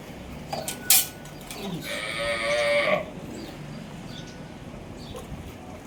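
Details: Friesian cross cow on a farm in Pakistan, filmed on 15 May 2025 while offered for sale, gives one drawn-out, rich harmonic moo lasting about a second, after a sharp knock; small birds chirp faintly in the background.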